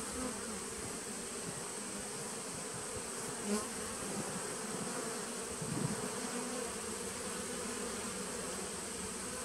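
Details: Honey bees in a nucleus colony from 2017, recorded on 19 September 2018: a steady, droning hive hum with low bands that hold level throughout. A faint high whine runs underneath, with a couple of soft knocks.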